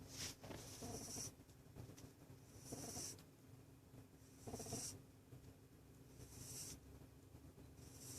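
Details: Sleeping pet rabbit snoring softly: breathy, hissing snores roughly every two seconds, each a short wheezy burst, over a steady low hum.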